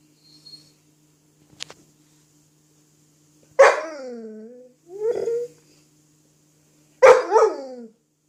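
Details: Dog indoors playing with an apple gives three tonal, drawn-out whining yelps that fall in pitch, each under a second, about every one and a half seconds, after a few faint clicks.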